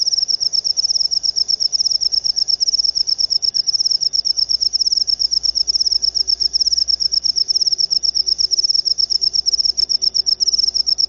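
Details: Jangkrik upo cricket calling in a rapid, shrill, high-pitched pulse train, with short chirps packed tightly and repeated without pause against a quiet background.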